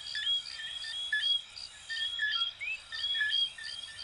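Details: Coquí frogs from Venezuela and Puerto Rico in full chorus: clear rising whistled notes stand out among steady high chirps, pulsing about once a second over a quiet background.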